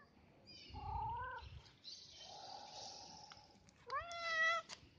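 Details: Street cat named Bob giving several clear, drawn-out meows: a falling harmonic-rich cry, a pause, then a longer bright rising-and-falling meow near the end over a quiet background.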